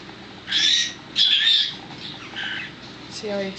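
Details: Newborn miniature dachshund puppy, last of a litter of five, delivered on a Sunday evening, April 19, 2009, after being stuck and pulled out. It gives two loud, harsh, high squalls in quick succession, then a softer cry, with human voices nearby.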